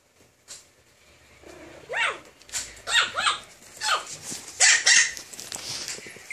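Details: A rare pocket-size Pomeranian barks in a quick, uneven series of about seven high, sharp yaps, starting softly and growing louder toward the end.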